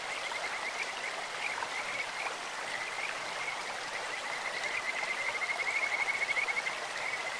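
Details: Brief stretch of Kajika frogs trilling by a clear stream: a thin, high, continuous whistle that strengthens into a clearer pulsed phrase between five and seven seconds, amid steady flowing-water noise.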